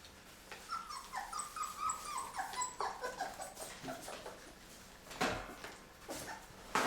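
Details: Labrador retriever puppies, on day 23, eating puppy food for the first time indoors as mother Mocha looks on: a run of high, falling whimpers repeated roughly every third of a second for two seconds, then softer whines, lapping clicks and a woman's voice.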